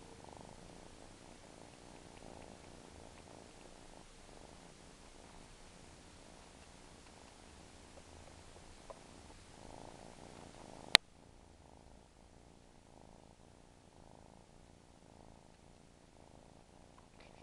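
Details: A suckling pet cat purrs in a low, rhythmic rumble that rises and falls; a sharp click near eleven seconds is followed by quieter, continued purring.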